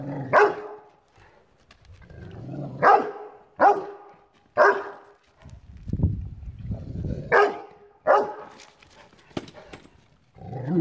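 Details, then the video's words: Rottweiler barking at a chair in a long run of sharp harmonic barks, mixed with low growls and rumbling, some barks doubled close together. "Rottweiler vs chair"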